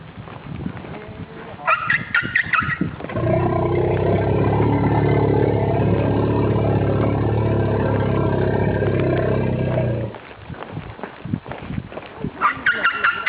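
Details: A female Asian elephant on her way to bathe with a young elephant gives a long, deep, droning rumble out of fear of something, with brief harsher bursts around it, before her mahout calms her; 27 September 2012.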